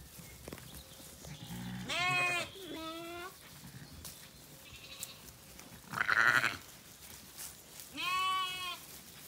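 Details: Lamb and ewe Zwartbles sheep calling back and forth at sunset on a County Kilkenny farm in Ireland as the flock settles after feeding; three spaced bleats, one harsh and loud midway, over a quiet background.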